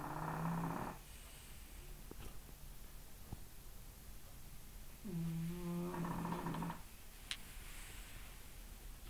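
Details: Sleeping 11-month-old French Bulldog named Porter gives two deep, buzzy snoring breaths, each about a second or more long and roughly five seconds apart, with a steady low hum and near silence between them.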